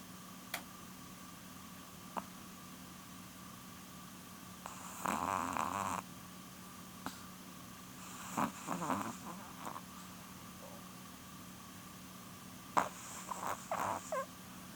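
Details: Porun, a female Chihuahua nearly 12 years old, snoring while asleep: three rasping, breathy snores about a second long each, separated by quiet gaps of a few seconds, with faint clicks between them.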